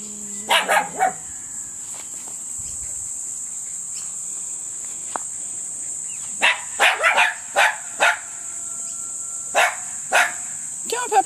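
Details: Tenterfield Terrier puppies at six and a half weeks, 15 February 2012; short high yips in a brief cluster near the start, then repeated bursts over the last five seconds, over a steady high-pitched whine.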